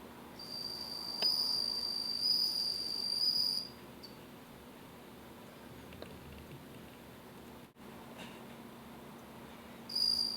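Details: Captive bell cricket kept indoors, singing a high pure ringing trill in bursts of about three seconds, pausing several seconds between, steady faint room hiss beneath.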